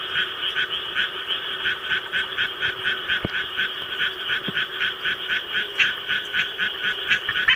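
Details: Pet Japanese tree frog kept at home, calling in response to a played recording of rice-paddy sounds; rapid, steady raspy pulses about four per second, bright and high, over a dense background chorus.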